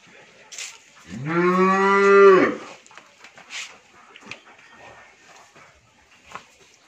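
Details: Friesian cow expecting her third calf, kept on a dairy farm in Bhangura, Pabna, Bangladesh, lets out one strong, steady moo of about one and a half seconds, swelling to its loudest before stopping, amid soft background knocks.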